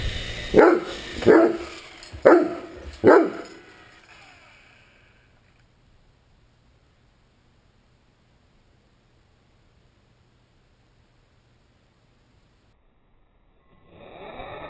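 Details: Great Dane at play with an RC helicopter: four deep, punchy barks roughly a second apart within the first three seconds, then near silence for about ten seconds before a brief rise of noise at the end.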